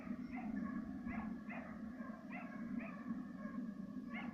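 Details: Serbian hound trailing fox and roe deer with a second dog. About eight tonal bays come at a steady pace of roughly two per second over a constant low droning hum.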